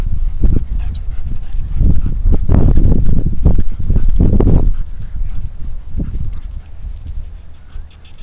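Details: German Shepherd named Arnold playing with a canine friend at Harford Dog Park in Radnor Township, Pennsylvania; low, rough growling bursts come in irregular runs of a second or so, with thumping scuffles between them.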